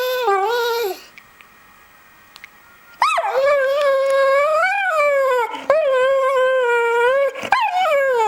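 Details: Pet American Staffordshire Terrier howling in reaction to a Nokia mobile phone sound: a long wavering tonal howl, a quiet pause, then drawn-out rising and falling howls with brief breaks and whimpering edges.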